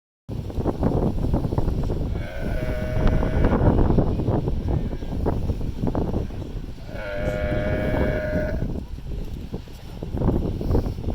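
A sea lion gives two drawn-out, hoarse, honking calls over a steady roar of surf or wind.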